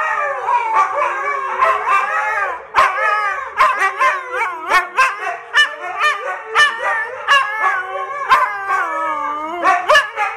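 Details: Two dogs, Kodi and Kiana, in a howling session that becomes a barking contest; continuous rising and falling harmonic howls overlaid with frequent sharp barks in rapid irregular bursts throughout.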